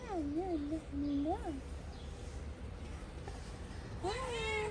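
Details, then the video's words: Stray cats in Morocco meowing: several rising-falling mewed calls in the first second and a half, then quiet, then a higher drawn-out meow near the end, with a steady low hum underneath. "Stray cats are very friendly."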